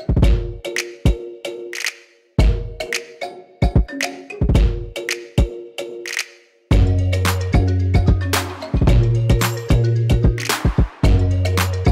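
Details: Upbeat percussive music with drums, wood-block knocks and a bass line, starting sparse and becoming fuller, with no animal voice.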